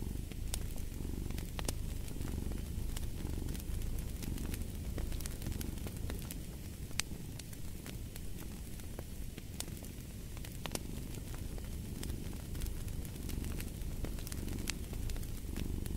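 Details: Soft, rumbling cat purr rising and falling in slow rhythmic waves, partly blended with a fireplace. Scattered sharp crackles and pops from the fire are heard throughout.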